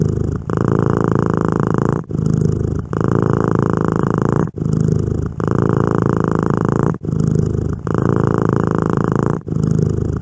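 A domestic cat purrs steadily, a low rumbling drone broken by brief pauses for breath.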